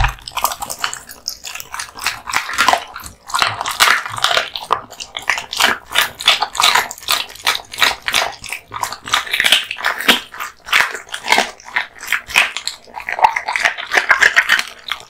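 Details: A male American Bully (pit bull type), born 8 August 2016, eats raw meat and bones: loud crunches and wet, smacking chews in quick bursts, with sharp cracks as bone gives way and short pauses between bites.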